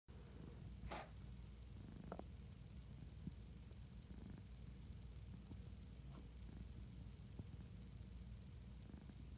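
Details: Orange tabby domestic cat purring while napping indoors; a low, steady rumble with soft rhythmic swells, interrupted by a couple of brief clicks or rustles near the start.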